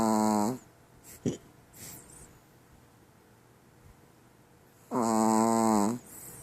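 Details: Snores from Shiloh, a pet female Chihuahua fast asleep: a buzzy whistling snore fades out at the start, a few small clicks and rustles follow, then a second loud, steady nasal snore lasting about a second arrives around five seconds in.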